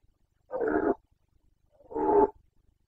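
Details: Boncănit, the rut roar of a Carpathian red deer stag in Bucovina during the 2021 breeding season: two loud, hoarse, guttural bellows, each about half a second long, separated by a second of near silence.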